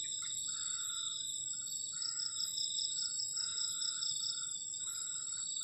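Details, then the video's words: A cold night's cricket chorus beside a garden shelter at the forest edge: continuous shrill layered trilling with a fast pulsing overtone, and short, softer, lower chirping bursts repeating every second or so. "ENJOYING THE SOUND OF CRICKETS ON A COLD NIGHT"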